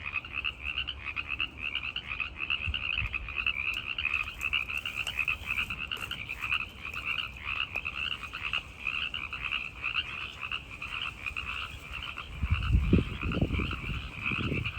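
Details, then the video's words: Tree frogs calling at night, males singing to attract listening females: a dense, continuous chorus of rapid pulsed trilling at a high and a middle pitch, with low rumbling thumps near the end. "The Sound of Tree Frogs in the Night!"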